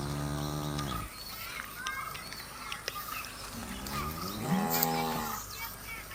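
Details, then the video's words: Cows while eating: a low moo fades out at the start, then a second deep, wavering moo rises and falls midway, set in loud hissing background noise with clicks and rustles. "Cute And Funny Cows Sound 😋 Cows Eating scene"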